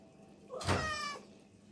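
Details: Garfield the cat, resting in a tub of water, gives one clear harmonic meow that rises and then falls over about half a second. Quiet room noise surrounds it.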